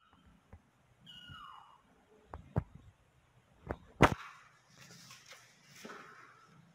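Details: Kitten giving a single thin mew that slides downward and fades after about a second, followed by several sharp clicks and knocks, then soft rustling.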